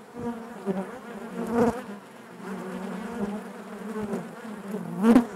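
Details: Honey bees buzzing inside their hive, a dense steady drone with a strong low hum and stacked harmonics, swelling louder around the middle and near the end, with occasional sharp clicks and taps.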